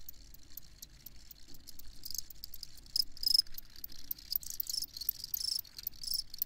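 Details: Crickets giving softer, high-pitched chirps in irregular bursts that swell louder after a few seconds, over a faint low rumble.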